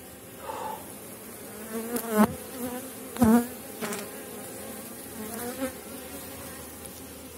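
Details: Honey bees of a strong colony at the end of the season, recorded at an apiary during a hive inspection in Poland: steady droning hum with wavering buzzy tones, several louder bursts as bees fly close, and clicks and knocks of handled frames.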